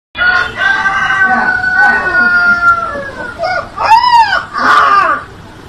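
A Siberian Husky puppy gives a thin, wavering howl with rising and falling yelping notes.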